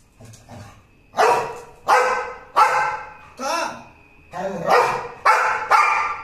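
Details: American Pit Bull Terrier, shown alongside an American Bully, barking loudly: about eight sharp, harsh barks in quick, uneven succession, each a broad burst with a brief drop-off, separated by short pauses, with a faint voice beneath.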